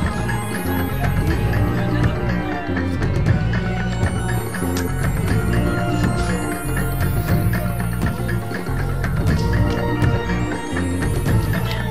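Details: Loud electronic music with a steady deep bass pulse fills the whole stretch, with no animal sound heard.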